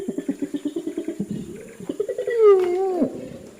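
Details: Orangutan calling: a quick series of low, pulsed grunts that run together, then swell into a louder, drawn-out wail that rises and falls.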